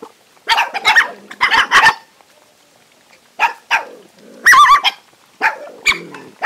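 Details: Many hungry dogs squabble while eating, giving clustered harsh barks, a shrill yelp near the middle, and further gruff barks with short pauses between bursts.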